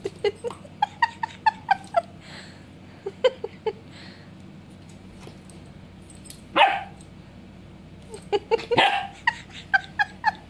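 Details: German Shepherd puppy at play with water, letting out a rapid run of high, clipped yips about twice a second, a pause, then more yips; two broad splashing bursts break in midway.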